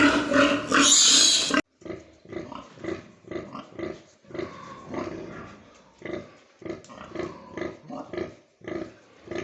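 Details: Domestic pigs on a pig farm; a brief loud squealing burst, then a steady series of short, low, rough grunts repeated about three times a second.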